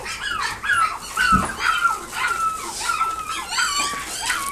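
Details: Puppy of a Toy Poodle and Pomeranian cross, kept at a pet shop in Nagoya, gives a run of high, drawn-out whines and squeaky whimpers, some long and level, roughly two per second, with a soft thump partway through.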